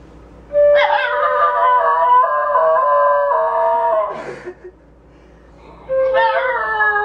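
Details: A 6½-year-old female Basenji yodels and howls along when her owner acts as if about to play the flute, in long, wavering, tonal notes that swoop up and then slowly slide down.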